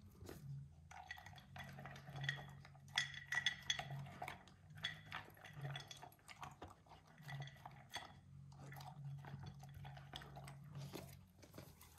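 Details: Clinking dishes and cutlery with a steady low hum, liquid sounds and no animal voice.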